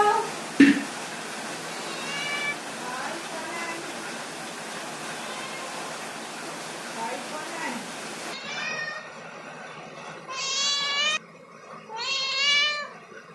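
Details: Domestic cat climbing a ladder, giving several faint, wavering meows over a steady background hiss, then two loud, drawn-out, harmonic-rich meows near the end, each about a second long and separated by a short pause.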